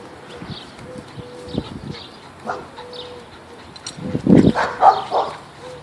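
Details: A pit bull playing with a bull terrier gives rough, throaty play growls that swell into louder grumbling bursts.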